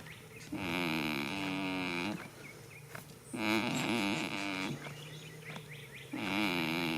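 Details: Sleeping goat in a field, first day of spring: three rasping, reedy snores of about one and a half seconds each, coming roughly every three seconds, with quiet breathy pauses between them.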